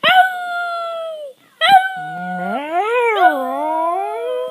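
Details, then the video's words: Pet dog making a talking-like vocalization said to sound like "Ralph": two long tonal howling whines, the second bending down, up and down again in a voice-like wavering glide. "Maisy saying Ralph-Talking Dog"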